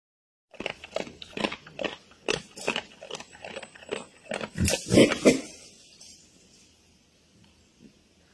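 A wild boar eats noisily, with crunching bites and short rough grunts repeated in quick bursts.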